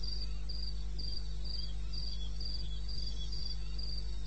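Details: Night-time cricket in the eastern Botswana wilderness, recorded 21 May 2016 at 2:30 am, giving short high chirps in a regular string, roughly three per second, above a steady low-frequency hum.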